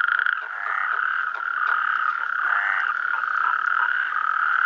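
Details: At Clot d'Espolla in Pla de l'Estany on 8 March 2013, a natterjack toad chorus mixes with Mediterranean tree frogs. A continuous loud, churring trill runs throughout, overlaid by short, rising croaks from the other frogs.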